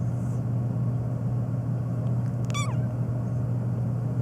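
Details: Phoebe, a black cat meowing nonstop and especially in reaction to sneezing, gives one short falling meow with rich harmonics over a steady low rumbling hum.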